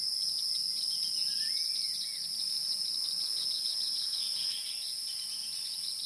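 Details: Wild insects produce an unbroken, shrill high-pitched ringing in two steady bands, sustained throughout, with faint brief chirps beneath.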